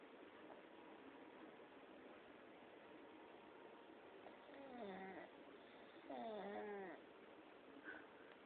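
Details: A pet pug snoring so that it sounds like a mooing cow: two drawn-out, wavering groans with a moo-like tone, the second longer, rise over a steady low hiss, then a brief faint third one.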